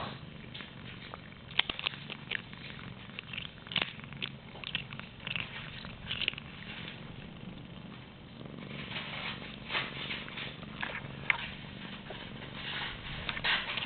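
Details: Pet cat named Cali purring indoors while chewing a piece of plastic from a water bottle; soft, continuous rough rumble broken by crackly chewing clicks and scrapes, with a brief human voice nearby.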